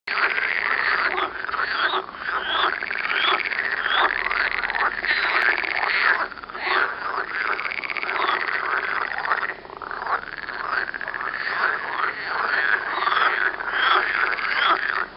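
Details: Near Turku, Finland, a dense chorus of green frogs croaks in rattling calls that overlap without pause. Green frog.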